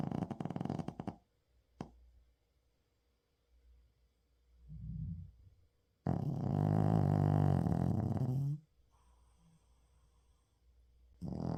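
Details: Uijung, a Shih Tzu dog, snoring loudly during a daytime nap indoors on 31 October 2024: rough, rattling, rumbling snores lasting about two seconds, with soft snuffling breaths in the pauses between them.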